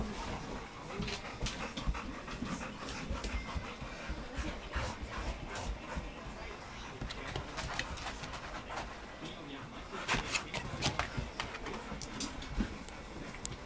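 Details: Golden Retriever panting, soft breathy bursts of airy noise repeating irregularly through the recording, with faint background voices and some low indoor rumble.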